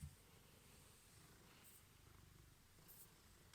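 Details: Male Ragdoll cat, born 2015, indoors at home after being left alone, waiting for treats: a soft, low, steady pulsing purr runs through the clip with no other clear sounds.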